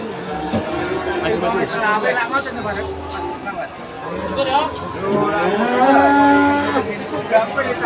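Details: Cattle mooing at the crowded Pon cattle market in Ambarawa, Ramadan 2024, a long tonal moo late in the stretch, amid chatter, talking and music.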